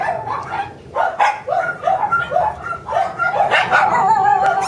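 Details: Energetic Shiba Inu puppy, expected to grow to mame-shiba size, giving high, short yipping barks in quick bursts of about four per second with harmonic overtones, then a longer whiny, drawn-out yelp near the end.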